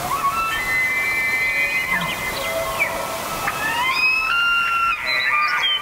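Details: Bugling elk: long, drawn-out whistled tones that overlap and glide, one rising sharply near the end into a higher squeal, heard over steady outdoor background noise.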